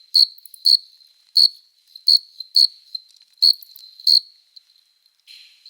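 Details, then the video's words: Chirping of a male cricket at night in summer, stridulating its forewings to attract a mate: nine rapid shrill chirps at an irregular pace, then the song stops and a faint low rasp follows. "Som de GRILO cantando | CRI CRI CRI (Cricket Singing)"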